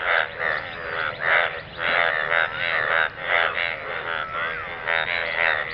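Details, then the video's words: Several frogs in a pool of water croak together in a dense, overlapping chorus of rapid, raspy pulsed calls. "Frogs croaking sound in the pool of water"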